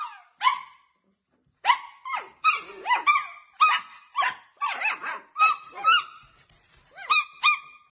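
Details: Young Samoyed puppies from a litter of about nine, yelping and yapping in shrill, rising squeaks, bursts coming in irregular clusters with brief pauses.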